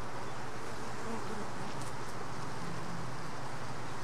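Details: Honey bee worker at a hive box bringing in a mite; continuous low dense buzzing hum of bees with a brief higher rustle near the middle.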